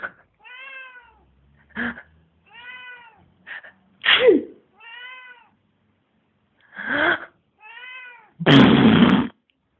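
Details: Pet cat Mitzy, whose habit is meowing at every deep breath or sneeze, gives a run of about six clear, even, tonal meows between sharp breathy gasps, ending with a loud harsh sneeze-like burst.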